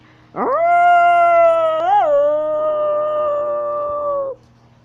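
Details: Walking wolf from North Eurasia gives a howl that swoops up sharply, holds a flat tone with a small wavering bend around the middle, then sustains evenly for nearly four seconds before cutting off; low steady hum underneath.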